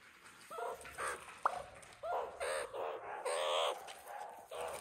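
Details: Meerkat babies at Nagasaki Bio Park, growing up: short squeaky chirps and calls in bursts of about half a second, some with a thin tonal line that rises or wavers, plus a brief click; faint background hiss.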